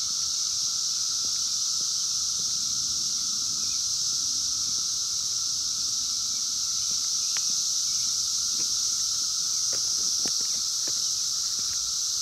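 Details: Wild 17-year Brood X periodical cicadas during their 2021 emergence, recorded on a phone: a dense, unbroken high shrill hiss with a steady lower droning tone beneath it. Faint scattered clicks and rustles are heard.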